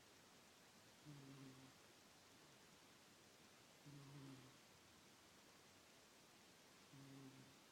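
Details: Sleeping cat snoring at home: three faint, evenly spaced droning snores about three seconds apart, low and buzzy, partly buried in constant room hiss.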